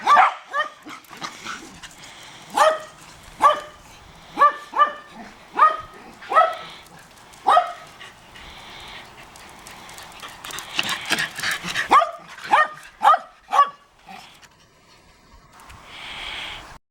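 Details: Shetland Sheepdog discovering the neighbours' dog, barking in an insistent series of sharp, ringing barks roughly every half second, broken by a brief rustling pause before another quick run of barks.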